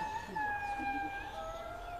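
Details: Indri (Indri indri) in a Madagascar forest in the early morning gives a long, very high, siren-like wail that slowly slides downward. It is a territorial call announcing "we are here, this is our territory", heard from perhaps about 3 km away.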